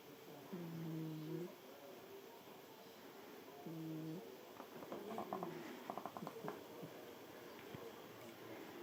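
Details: Sleeping cat named Shiro, squeezed into a cramped spot and snoring to hold its usual place against another cat, Ohana, trying to push it away; two drawn-out low droning snores about three seconds apart, then soft clicking and rustling indoors.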